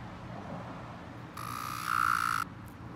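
A cicada gives a short, steady buzzing drone that swells louder before cutting off abruptly.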